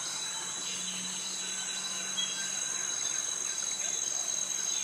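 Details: In the jungle of Krabi, Thailand, cicadas calling to attract mates alongside crickets make a continuous piercing high whine. A faint low droning hum sits underneath for the first few seconds.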